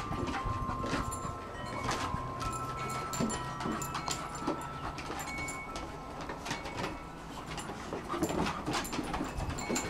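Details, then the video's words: Rolex, a one-year-old female Shar Pei, and Ellie, an eight-month-old Kelpie x Border Collie, play and try to grab each other's cheeks; low rumbling growl-like sounds mix with scuffling, clicking paw noises and faint steady background tones. "Rolex (Shar Pei) and Ellie (Kelpie x) ... playing round 1"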